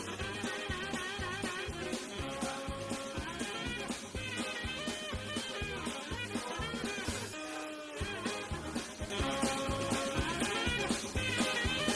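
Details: Upbeat swing-style music with guitar and a driving rhythm fills the whole stretch, with no animal calls audible.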